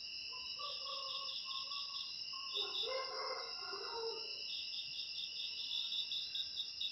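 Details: Crickets, played to drive away rats, trill in two steady high bands with pulsed chirping bursts layered over them. Fainter lower warbling calls from other animals rise briefly in the middle.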